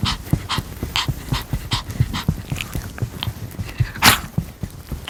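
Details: Pomeranian dog eating a pear, crisp crunchy chewing with sharp bites repeating about three times per second, one louder crunch near the end, quiet background.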